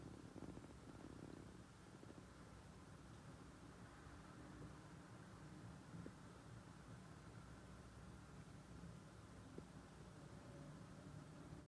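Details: Purring from hand-raised kittens, part of a sociable litter named Mungchi, Eunbi, Kkabi and Hobi: a soft low vibrating rumble, clearest in the first two seconds, then faint beneath steady low background noise.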